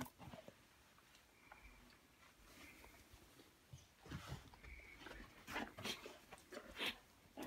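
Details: A 9-month-old Golden Retriever squabbling with a cat over her bed gives short, high whines amid scuffling while a person speaks softly nearby.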